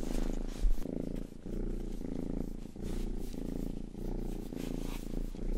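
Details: Rangi, the household's youngest cat, purring close up during ear-licking grooming: a deep, continuous rumble that pulses in and out with each breath, with faint moist licking sounds.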